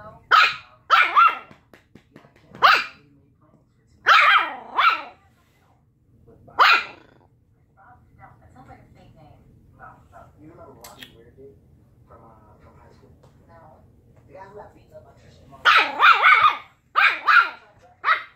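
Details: Puppies arguing, clusters of shrill yapping barks at the start and end, with a quieter stretch of soft growling and a person speaking in the middle.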